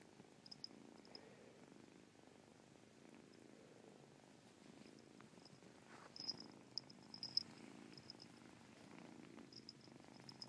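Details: Purring from Caspurr, a pet cat whose purr carries a chirp; soft, quiet low rumble running throughout, with faint high ticking and small clicks scattered over it, louder near the middle.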